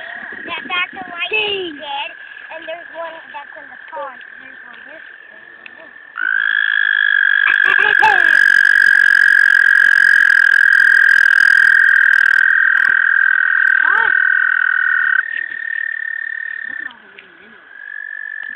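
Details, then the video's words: A croaking frog at a park gives a long, steady, high-pitched trill that holds unbroken for several seconds. "Croaking frog at the park"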